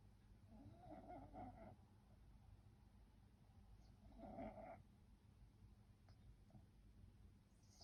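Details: French bulldog snoring while asleep: two raspy, nasal breath snores about three seconds apart over a quiet low hum, with a few faint clicks in between.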